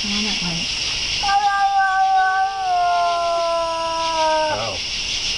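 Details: Cat's sustained eerie wail: a short low sound, then one long level yowl lasting about three seconds that sags slightly before cutting off, over constant background hiss.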